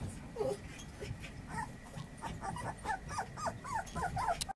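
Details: Female puppy thirty days old whimpering, a run of thin high squeaky whines repeated roughly every half second over a low background hum.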